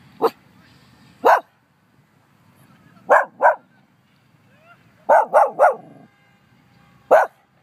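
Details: Pet dog barking at nothing in Humbolt Park with no one around: sharp single barks, a pair, then a quick burst of three and a final bark, irregularly spaced, over quiet outdoor background.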